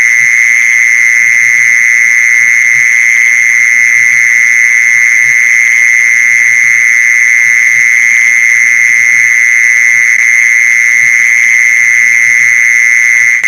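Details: Mole cricket call for luring mole crickets: a long, constant electric-sounding buzz at a single high pitch, sustained evenly from start to finish with faint overtones above and a low murmur beneath.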